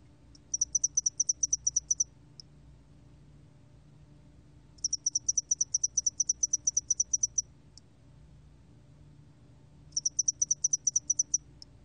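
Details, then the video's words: Spotted-wing hairy cricket from a Korean national biological resources recording, 2020: high, clean chirp trains of about a dozen rapid pulses lasting roughly 1.5 seconds, repeated every five seconds, with quiet low hum beneath. "점날개털귀뚜라미, 여러번 듣기, 곤충소리"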